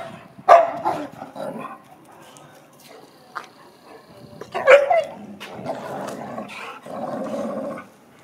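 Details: Two pet dogs, an American Akita and a Chow Chow, at play: two loud, abrupt barks about four seconds apart, with rough grumbling growls between them and continuing after the second bark.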